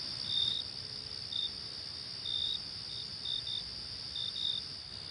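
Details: Crickets in a natural wilderness setting: a steady high trill runs throughout, with brief, bright chirps breaking in irregularly, about one each second, over a quiet background.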